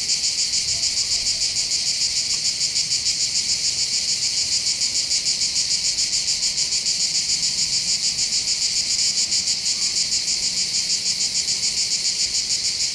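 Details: Chorus of cicadas singing above the port of Bandol in the Var, on the Mediterranean coast of southern France, in summer: a continuous, dense, high shrill buzz with a fast rapid pulsing throughout, no other sounds.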